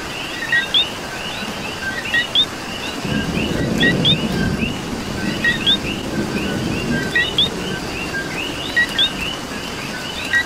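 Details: Rain and coqui frogs in Puerto Rico, the downpour swelling into a low roar after a few seconds while a nearby coqui keeps giving loud two-note whistled chirps above a dense, overlapping chorus of others.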